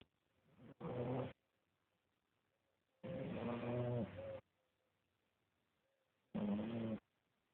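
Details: Elvis, a sleeping French Bulldog, snores in harmonic, rasping bursts about a second long, separated by quiet pauses of two to three seconds.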